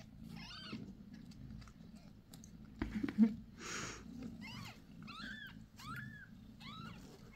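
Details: Domestic cat, a mother on the sixth day after giving birth to a litter of five kittens born January 6; a series of short, arched, high mews in quick bursts, with low background hum and a brief rustling noise midway.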